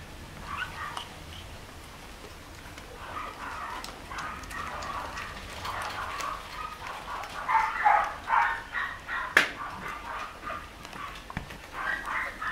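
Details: Newborn pure white Shih Tzu puppies, 13 days old, recorded 03/25/2020. Soft, high whimpers come in uneven clusters and build to a few stronger squeaks, with some clicks and handling noise.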